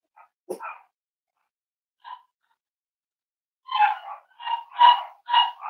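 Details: Playing, exploring Cavalier King Charles Spaniel puppies. A few scattered squeaks and a single clack come first, then a quick, uneven burst of high, nasal yips and whiny barks in a small room.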